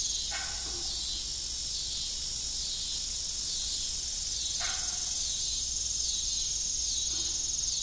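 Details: High, even cricket trilling at dusk on a rural farm near a rusty old windmill, steady and insistent, with two or three low metallic clunks spaced a few seconds apart.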